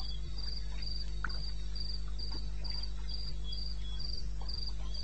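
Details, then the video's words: Cricket calling at 2:30 AM in the wilderness of eastern Botswana, recorded 21 May 2016: high, thin chirps in a steady rhythm, about two per second, above a constant low droning hum and faint scattered clicks. "1 Hour cricket sound"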